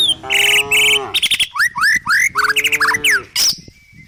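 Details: Village cows herded down a country hill toward forest grazing: two drawn-out, nasal moos, each about a second long, with sharp, rapid bird chirps and whistles filling the gaps between them.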